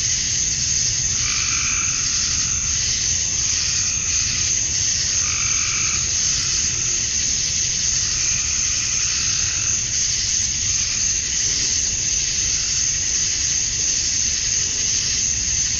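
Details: Cicadas at dusk on a Georgia summer night, the males chirping for females: a continuous high-pitched sizzle, joined early on by a run of short, throaty frog croaks that then fade.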